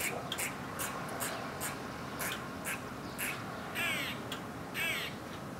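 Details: Alarm calls of an Eastern grey squirrel: short, clipped kuk barks roughly once a second, ending in two longer, rasping quaa moans with a grating, rippled texture, against constant low hiss.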